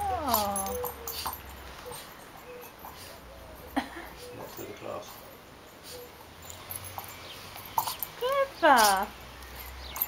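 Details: Female Border Terrier at play with a ball gives high, sliding whines that drop steeply in pitch, a burst at the start and another near the end, with short sharp knocks and a person talking in between.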